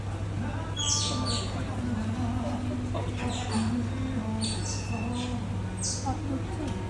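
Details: An Asian small-clawed otter at North Safari Sapporo, Hokkaido, in summer gives high, squeaky chirps in short bursts roughly every second or two while eating, over a steady low hum and murmuring voices.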